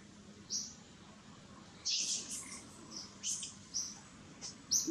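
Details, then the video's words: Gigi, a baby monkey, crying in seizures to summon mother Gladdis: a quick run of shrill, high squeals and a broader noisy outburst, repeated several times in close succession. "GIGI BB MONKEY CRYING SEIZURES TO CALL MOM GLADDIS."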